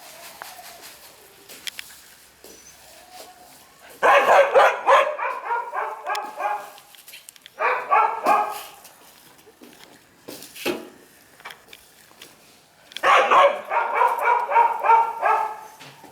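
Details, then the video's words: Male Shiba Inu puppy born 15 August barking in long rapid volleys of sharp, tonal yaps, first burst lasting several seconds, then shorter bursts, with a brief soft sound and light room noise in between. "柴犬男子 8/15生まれ"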